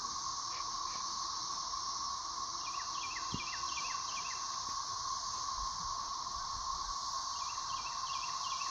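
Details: Thirteen-year periodical cicadas singing overhead in a dog yard in 2024, with some still emerging from the soil while early ones die off; a dense, unbroken high droning chorus, with bird chirps in short repeated series and a dull thump.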